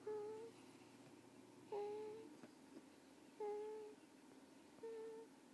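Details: Carter, a sleeping pet, gives the cutest little sound: four short whistled nasal tones, steady in pitch with a faint higher overtone, coming about every one and a half seconds in a quiet small room.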